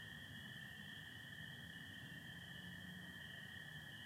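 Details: April night in Michigan with stars and some cloud: spring peepers form a continuous high chorus, American toads add an unbroken lower trill, and a soft low hum sits underneath.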